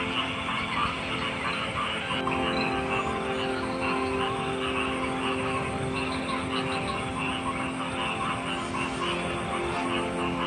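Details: A thick frog chorus of overlapping trills and croaks, getting denser after the first two seconds, with steady humming tones layered beneath.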